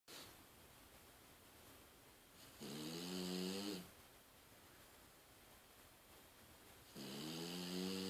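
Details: Daiwa, a female French Bulldog, snores softly while asleep with her eyes open. Two drawn-out, rumbling snores with layered tones come about four seconds apart, each lasting roughly a second, separated by quiet breathing in a small room.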